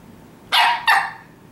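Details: A 20-week-old Shetland Sheepdog puppy, dressed up as a pony for her first Halloween, gives two quick, bright barks in succession, the second slightly longer, in a quiet indoor setting.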